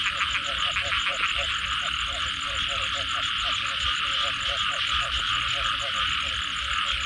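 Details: After rainfall, a chorus of frogs gives quick, evenly repeated croaking pulses without pause, set against a dense, unbroken high hiss from wet surroundings or insects.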